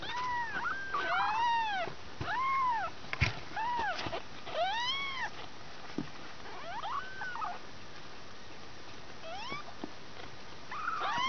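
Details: Two-week-old kittens, one of a litter of five, mewing repeatedly: thin, high arched mews, rising then falling, in quick series of overlapping calls, with quiet gaps between bursts and faint music in the room.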